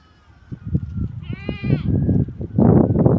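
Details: Farm goats fed organic malunggay (moringa) leaves give one short, quavering, trembling bleat in the middle, surrounded by loud crunching, chewing and rustling bursts.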